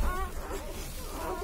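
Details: One-day-old Labrador Retriever puppies give thin, wavering high whines, one squeal at the start and another near the end, over a low rumbling background.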